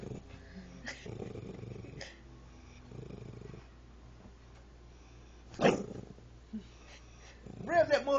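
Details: Female dog, angry, growling with a bone in her mouth; a low, rough, motor-like rumble pulses through the first seconds. Then come people talking and coaxing her, and sharp bursts of sound near the end.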